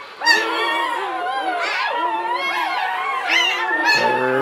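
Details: Whelping English Springer Spaniel Latte, delivering puppy seven of nine in 2013, gives drawn-out, quavering whines that swoop upward several times, ending with a lower voice-like sound.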